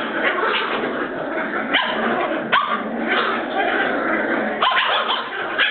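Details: A group of Border Terrier puppies, Bois Caiman, keeps up a steady grumbling din of growls and whines, punctuated by a few sharp yelps standing out from the chatter.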